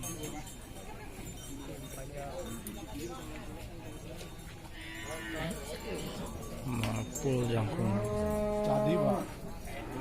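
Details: Cattle at the Ciwareng livestock market in Purwakarta, Indonesia: a loud, drawn-out, steady-pitched moo rises near the end. Before it, voices chatter over crowd noise and market bustle.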